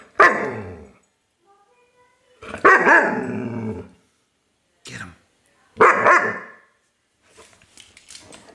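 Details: German Shepherd puppy Colonel Klink, five months old, playing with a new Christmas-morning toy, gives three loud, rough barks about three seconds apart, each trailing into a growl, with faint scuffling sounds between.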